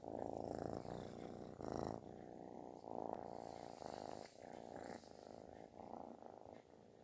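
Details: A kitten purrs with a loud snoring quality while asking for affection; pulsing rumble in uneven breathing-linked bursts, about fifty per minute, louder at first and fading softer toward the end.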